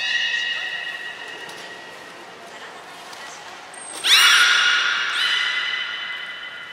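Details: Belugas Gray and Mirai training at Port of Nagoya Public Aquarium, Japan, June 2022: a steady layered tonal call opens, fades, then a loud sudden burst of pulsed, buzzy squeals erupts midway and trails off with ringing harmonics.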